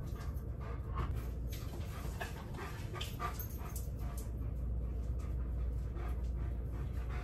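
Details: Tonka, an Alaskan Malamute, throws an impatient tantrum at home while breakfast is cooked: soft whines and whimpers mixed with quick panting, over a steady low kitchen hum and light clicking.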